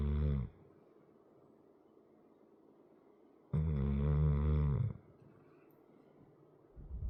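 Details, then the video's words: Sleeping pet dog weighing about 100 lb snores indoors, one long, low, rumbling snore lasting over a second between quiet breaths, framed by the tail of an earlier snore and the start of the next. "Here's a video of my dog snoring for 4 minutes"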